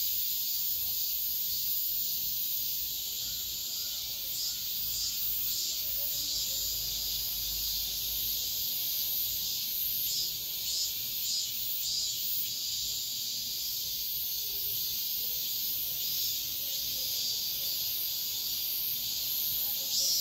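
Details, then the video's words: Midsummer dawn cicada chorus, a continuous high sizzling drone with faint quick flutters in loudness throughout, over a soft low background rumble. "새벽매미소리를 들어보자"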